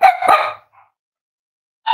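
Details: Playing and exploring Cavalier King Charles Spaniel puppies give a loud double bark, a brief silence, then the start of another bark cut short at the end.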